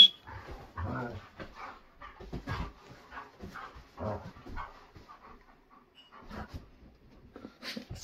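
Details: German Shepherds, a mother and her son, indoors at bedtime while being sent to their beds; soft whimpers, snuffles and panting bursts, irregular and overlapping, across eight seconds.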